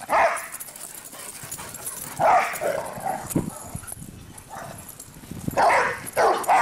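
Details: Cinder and Zoe, two pet dogs, running about while barking; scattered sharp barks come in small pairs separated by quieter stretches of scuffling and panting-like noise.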